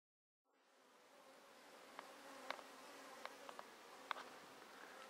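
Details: Honey bees of a thriving colony in a top bar hive, untreated for Varroa for three seasons, early July 2013; a soft low hum with a few sharp clicks of bees striking near the microphone.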